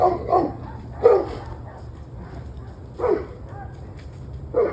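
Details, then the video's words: Dog barking in the evening, single loud barks spaced about one to two seconds apart, some in a quick pair, over a low background hum. "26 Minutes of Barking Dogs"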